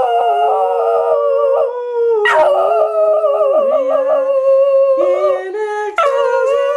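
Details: Badger the Border Terrier singing along indoors to the Christmas carol Angels We Have Heard on High with a woman's voice; long sustained howled tones with rich harmonics, pitch stepping up and down, wavering vibrato, breaks near two and six seconds.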